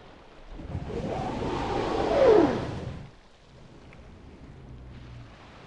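A humpback whale exhales with a loud trumpeting blow, a breathy roar carrying a downward-sliding tone.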